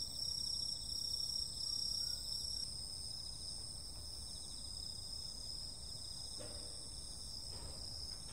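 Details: Night insects on a summer evening, a loud pulsing high trill for the first few seconds that then cuts out, leaving steady shrill whining and a buzzy trill, with a couple of faint soft knocks near the end.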